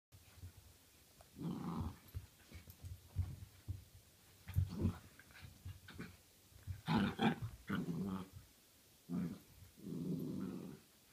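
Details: Dachshund wrestling with another dog, growling in rough, low bursts of about one second separated by brief quiet gaps, with a longer sustained growl near the end.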